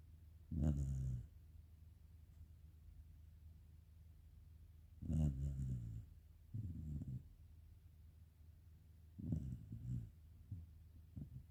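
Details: Soft, low snoring from a black Shiba Inu asleep at home, with gentle rasping breaths every four to five seconds and a few fainter snuffles between them in a quiet room.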